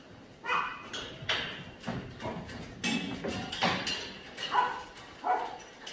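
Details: Barking at the Yangsan Mindeulle abandoned-dog shelter in South Korea while scaffolding is taken down; irregular single barks spaced roughly a second apart, mixed with knocks and thuds from the work.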